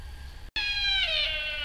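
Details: A sika deer stag gives a shrill, strident cry that slides downward and then holds steady, recorded in autumn at RSPB Arne, England, on 20 October 2012.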